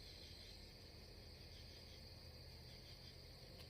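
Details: A night chorus of crickets beside a cornfield at a starry campsite gives a steady, high, shimmering trill over a low background rumble.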